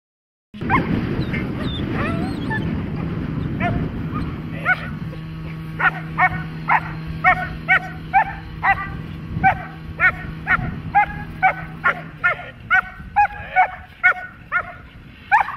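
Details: Dog during protection training: after about four seconds of loud rumbling noise, harsh, steady barks ring out roughly twice a second until the end, over a low droning hum that fades near the close.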